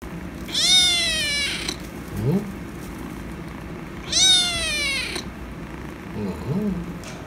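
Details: Kitten meowing after attacking a cat, demanding a nose boop: two loud, high harmonic-rich meows near one and four seconds, each about a second long, with softer low chirps between them.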